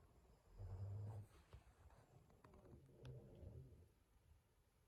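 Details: An exhausted Boston Terrier snores in low, rumbling breaths that swell and fade every few seconds after destroying his teddy.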